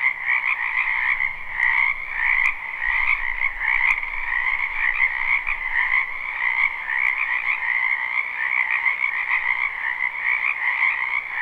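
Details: Spring frog chorus from a backyard wetland, live recording: countless overlapping croaks merge into a steady pulsing trill across two pitch bands, with faint low rumbling and scattered clicks.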